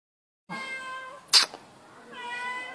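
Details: Baby cat indoors while its owner talks to it: a drawn-out, harmonic meow, then a sharp click, then a second long, steady meow.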